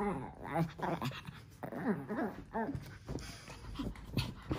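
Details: Japanese Chins playing together on a tower of cushions indoors: bursts of short, harmonic yapping growls and whiny squeals every half second to a second, rising and falling, with a person talking over them.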